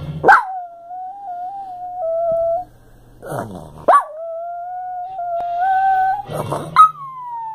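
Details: Female Chihuahua howling along to the Perry Mason theme song, which she does every time it plays; long steady wavering howls, three phrases each starting with a sharp yelp, with the theme music faintly behind.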